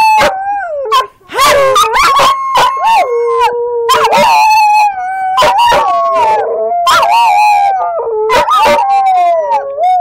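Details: Several pet border collies howl together while playing in a yard, long wavering tones overlapping and sliding up and down, broken by sharp yelps and yips, with a person's voice urging them on.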